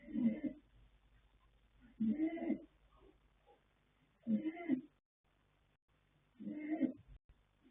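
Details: Yanta, a male foal born 21 January 2026 (by Fast Force out of Pink Blossom), snoring while asleep: four hoarse, buzzy breaths spaced roughly two seconds apart, steady and evenly rhythmic, with near silence between them.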